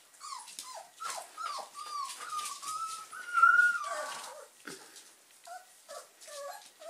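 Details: German Pinschers at play: a run of short high whines and squeals sliding up and down, peaking in a long piercing squeal near mid-clip, then softer whimpers with snuffling and scrabbling noises.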